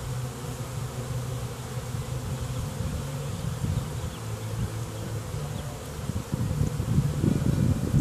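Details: Many bees swarming in a back yard make a thick, continuous low droning buzz that wavers in pitch. It swells louder and rougher over the last seconds as the swarm's hum intensifies.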